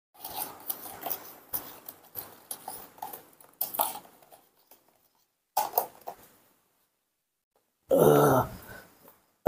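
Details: Newborn baby monkey indoors around midnight, crying for milk: scattered soft rustles and murmurs, then a loud, harsh, harmonic scream near the end, cut off abruptly.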